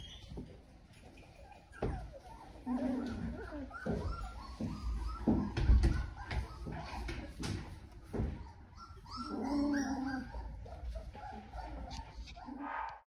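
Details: Doodle puppies whimper and yip in scattered short bursts, with soft bark-like sounds, knocks and handling noises throughout.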